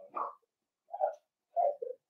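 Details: Five blenheim Cavalier King Charles Spaniel puppies, born on New Year's, playing indoors in their puppy pen with their mother Paris; three short whiny yelps within two seconds, the first higher and harsher, separated by brief silences.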